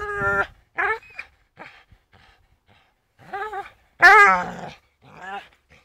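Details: Staffordshire Bull Terrier named Charlie swinging on a rope, giving short harmonic whining growls in separate bursts, the loudest a strained, wavering whine near the end, with quiet pauses between.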